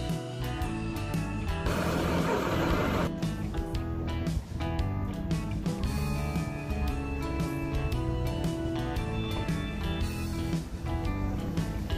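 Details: Continuous guitar-led music plays throughout, with a burst of louder noise early on and no animal sounds.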